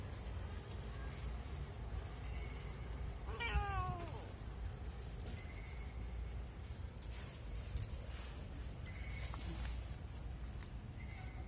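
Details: Cat meowing to ask to play: one clear drawn-out meow that falls in pitch, with faint thin whistling tones and low background rumble.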